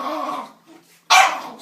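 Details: Reg the dog scolding a door in anger: a rough, sustained grumbling growl fades out, then after a short pause one sudden loud, sharp bark.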